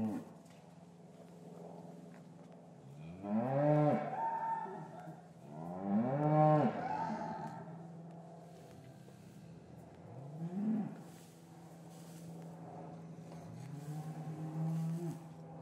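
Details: Cattle lowing in an English farm cattle yard on a winter's afternoon, calves separated from their mothers; deep harmonic moos rising then falling, two long strong calls close together, then a shorter one and softer lowing, with a steady low hum beneath.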